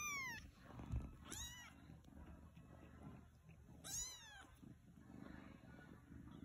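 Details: Siberian kitten with newborn Siamese kittens while the mother cat eats; three short, high meows at about 0.2, 1.4 and 4 seconds, each sharply falling in pitch, over a steady low hum.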